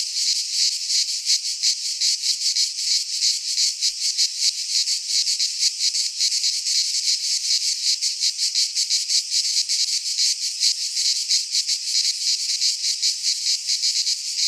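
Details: Cicadas singing in midsummer in a Greek pine forest: a dense, loud, hissing buzz held without a break, finely pulsed in rapid throbs, no other sounds heard.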